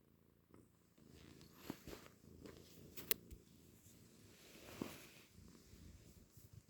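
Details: Domestic cat purring, a low rumbling sound likened to a motorbike engine, steady throughout with a few sharp clicks and brief louder bursts in a small indoor room.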